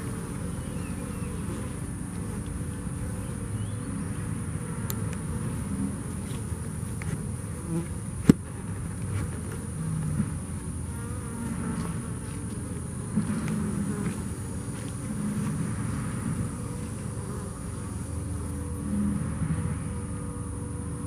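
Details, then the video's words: Bees that survived Hurricane Harvey give a dense, steady low droning hum, unbroken throughout, with a brief sharp click near the eighth second. "Bees survived hurricain Harvey"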